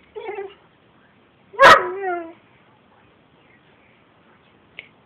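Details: Gordon setter dog having a mad moment indoors. A short whiny yip opens, followed by one loud harmonic bark-yelp that slides downward and trails off, then quiet and a tiny squeak at the end.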